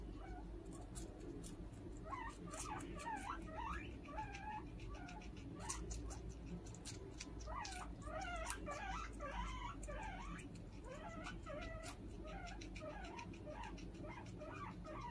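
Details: Pet guinea pig calling out while its companion is being fed: bursts of short, squeaky chirps that bend up and down, packed in rapid runs with brief pauses, over clicking and rustling noises.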